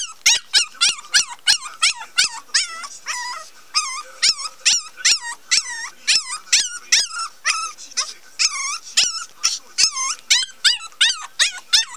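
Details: Cream-coloured male Pomeranian puppy yelps nonstop in high, squeaky, whimpering notes, each briefly rising and falling, delivered in a rapid, uneven series of about three per second.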